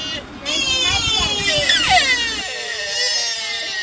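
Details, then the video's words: Sika deer at Nara, Japan, giving a continuous wavering harmonic call with sliding pitch, rough and nasal, over a low rumble of background noise. "オリシカの鳴き声 Barking Roe Deer 奈良の鹿はおっさん声"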